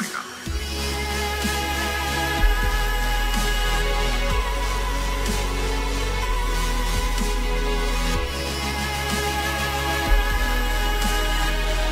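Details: Heavy electronic music with deep pulsing bass fills the whole passage, with no animal voice audible. Only the beat and layered synth tones come through.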